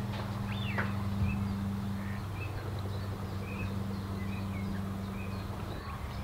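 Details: A female Bombus lapidarius, the red-tailed bumblebee, recorded at NSG Disselmersch on 8 April 2018, 16:25, Panasonic Lumix GH5; a deep humming buzz shifts tone after about two seconds and persists, while birds chirp softly in the background.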